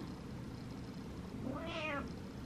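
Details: A house cat demands attention at night with one soft, rising-falling meow late in the clip, after a stretch of quiet room hum.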